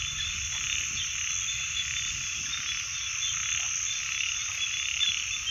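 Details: Frogs form a constant high-pitched chorus that swells gently but never stops, with no separate croaks standing out.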